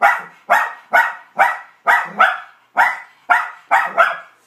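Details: Young male puppy barking at his own reflection indoors: a run of nine sharp, bright barks, evenly spaced about every half second and fading quickly after each burst, with no other sounds.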